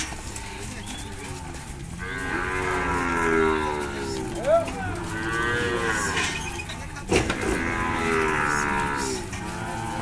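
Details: Cattle at a virtual auction in Monte Aprazível, São Paulo, Brazil, 24 April 2021, lot of 16 cows: two long, rich, wavering moos, the first around two to six seconds, the second after seven seconds, over steady auction background noise.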